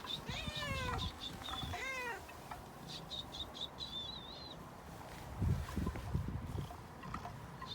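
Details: Friendly cat meowing: two drawn-out, falling, harmonic meows in the first two seconds, followed by high chirping bird calls and some low thumping noises later.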